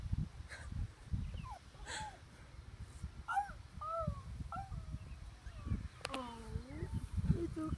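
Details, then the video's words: Teddy Bear puppies playing outside: short high whimpering yelps in rising-falling arcs, several clustered mid-clip and a longer pair near the end, with a woman talking softly and a low wind rumble throughout. "Teddybear Puppies Playing Outside!!"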